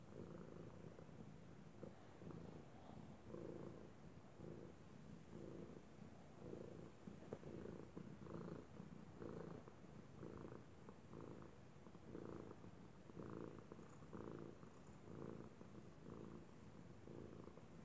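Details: Domestic cat Arkimedes purring like a water heater, a deep rhythmic rumble pulsing about once per second in alternating in-and-out breaths, steady and close throughout.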